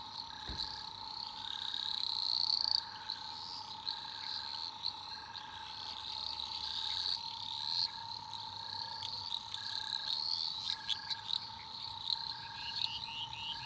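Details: Australian rainforest after dark with eastern dwarf green tree frogs in full chorus, high buzzy trills rising and falling throughout, a bright upswept call around two seconds, plus an unbroken low hum and repeated short pulses.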